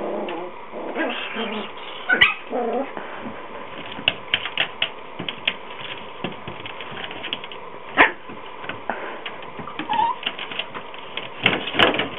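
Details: Yorkshire terrier puppy trapped and unable to escape. It gives short, high yelping whimpers in a cluster at the start and again near two seconds. Steady scratching and sharp clicking taps run throughout.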